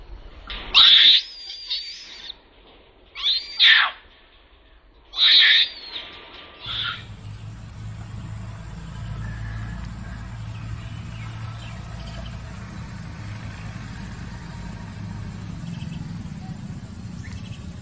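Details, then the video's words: Trapped baby Asian macaque screaming for help in fear: three piercing, high shrieks in quick succession over the first seven seconds, then only steady rumbling background noise. "The Baby Monkey Was Trapped, Crying And Calling For Help, Extremely Scared And Pitiful"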